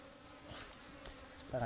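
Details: Fierce wild honeybees, called ligwan, around a hive being harvested in the forest; a brief steady hum with an upper overtone, with rustling and a sharp handling sound at the end.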